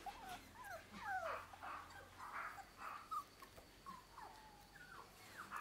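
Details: Six-week-old American Cockapoo puppies playing on grass in an orchard for the first time with their mother; high thin whimpering squeals, some rising and falling, others sliding down, repeated in quick bursts.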